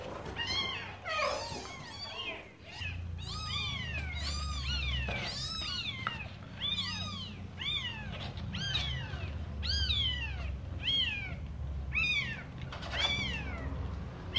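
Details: Mother cat talking to her kittens; a series of loud, high, arching mews, roughly one a second with short gaps, over a low steady rumble like purring.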